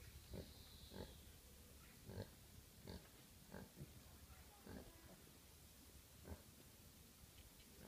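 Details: Piglets from a recent litter of pet micro pigs at a UK breeder give short, low, rough grunts, each a brief burst, repeating about every half second to second over steady background hiss.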